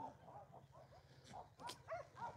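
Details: Abandoned little female puppy crying outside Takis Shelter, covered in ticks; faint, high whimpering cries rising and falling, repeated several times with short gaps, over a steady low hum.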